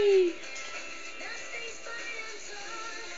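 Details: Electronic game music with synthetic sung tones and a short sliding note at the start, and no animal voice present.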